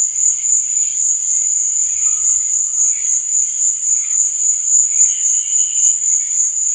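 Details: Crickets chirping at night: a dense, unbroken high-pitched trill holding steady throughout, with faint softer warbling tones drifting underneath and a few low thumps near the two-second mark.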